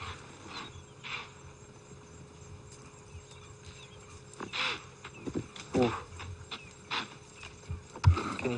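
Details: Two distant impalas give rough, snorting grunts in short bursts a few seconds apart during the rutting season, first taken for an alarm call, over a low engine hum on a sunset safari drive.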